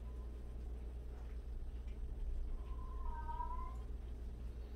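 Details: One cat among 76 rescued abandoned and street cats gives a single long, wavering meow that swells and then fades, heard against a steady low hum.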